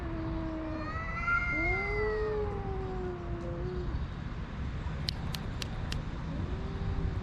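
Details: Two homeless male cats, one a tuxedo, yowl at each other in a long standoff over a watching female house cat; drawn-out wavering howls slide up and down, overlapping, followed by a few sharp clicks and a low moan.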